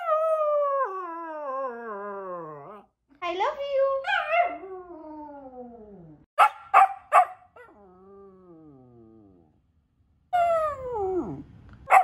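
A Samoyed puppy gives long, wavering howls that slide downward in pitch, broken by short yips.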